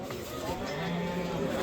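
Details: Simmental cows at the Shahrixon livestock market give a low, steady, droning moo held for more than a second, set against a busy wash of crowd chatter and market bustle.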